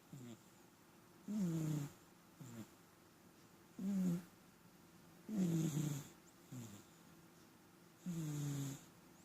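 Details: Snoring house cat that frequently snores; rhythmic low rasping breaths, loud longer snores about every two seconds interleaved with brief softer puffs, downward-sliding tonal bands, otherwise quiet indoors.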